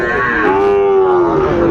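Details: Sahiwal bull calf at Ambari cattle market in Dinajpur, Bangladesh, on 23 February during trading, gives a steady drawn-out moo lasting over a second with a slight fall at the end, amid crowd murmur.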